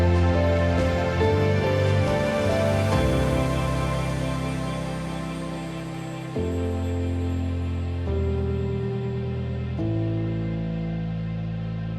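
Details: Gentle new-age background music with sustained tones and shifting chords.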